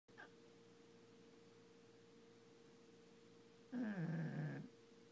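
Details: Frankie the pug snoring away like a human: one drawn-out, nasal, buzzing snore with falling pitch after a long quiet stretch, a steady electrical hum running underneath.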